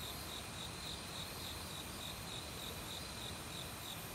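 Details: Crickets calling in an autumn forest among various insects, with a brook flowing nearby; evenly spaced high chirps roughly three per second ride above a continuous shrill buzz and dense water noise.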